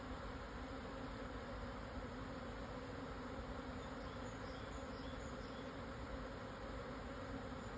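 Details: Japanese honey bees swarming at midday on 17 June 2024, after strong wind eased, at 1054 m in the southern Yatsugatake highlands, Hokuto, Yamanashi, Japan; a dense, steady low hum with an even overtone holds throughout, with no breaks.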